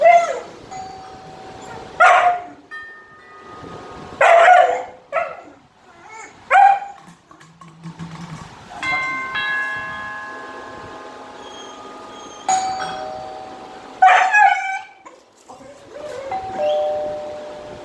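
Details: A 7-month-old female German Shepherd on alert gives short, sharp barks in scattered bursts, reacting to strange ringing tones.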